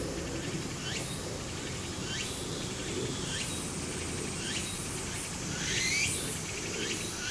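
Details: In Japan in summer, a steady, shrill cicada chorus hisses over a murmuring stream, with quick falling bird chirps.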